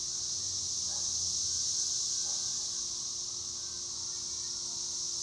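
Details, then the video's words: Cicadas sing in a steady, unbroken high buzzing drone that holds at an even loudness throughout, with faint low background rumble. "El sonido de las chicharras"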